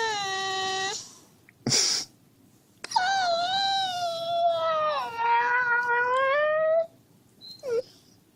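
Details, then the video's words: Whining husky waking its sleeping owner like an alarm clock. A steady mid-pitched whine, a sharp click, then a long, wavering, moaning howl that dips and rises for about four seconds, followed by a brief squeak. "Хаски в роли будильника"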